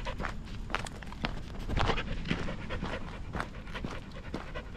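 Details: Atticus, a four-and-a-half-year-old male Standard Schnauzer trained off-leash, pants audibly: uneven, breathy bursts come roughly twice a second over a steady low outdoor rumble.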